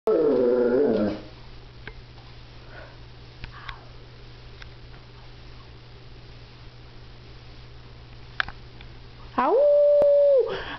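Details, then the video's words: Pet dog howling and then sneezing: a short wavering, falling howl with rich harmonics opens, followed by several seconds of near quiet with faint clicks, then a steady, flat, held tone near the end. "Howling\Sneezing Dog"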